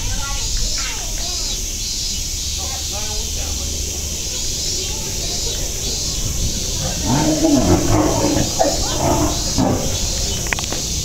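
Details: Nogeyama Zoo cicadas keep up a flat, unbroken high drone while people speak and a burst of louder voices and movement comes in over the second half.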